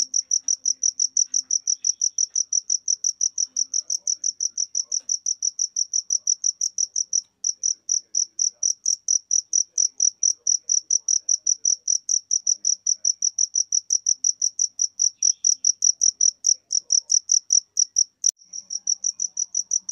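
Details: Cricket giving a rapid run of bright, high chirps in steady succession, briefly pausing near the middle and again toward the end before resuming the same even rhythm; no other clear sounds.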